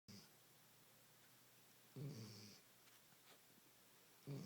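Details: A sleeping pet dog snoring indoors: two short rough low snorts about two seconds apart, each with a faint hiss, in a quiet room.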